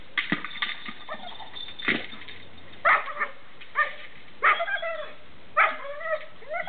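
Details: A pet dog playing with his favourite toy ball, giving short high whines and yelps with falling harmonic tones, spaced about a second apart, over steady background hiss and knocking sounds.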